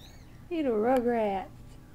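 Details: Cat meowing indoors: one drawn-out, wavering meow lasting about a second, rising slightly and falling again, in a quiet room.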